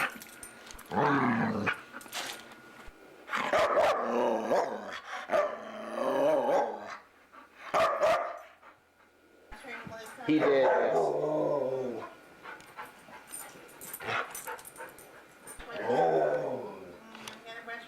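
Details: Chatty foster dog Luca makes a long run of grumbling, moaning vocal noises in bursts of one to two seconds, some rising and falling in pitch, with short gaps of near silence between them.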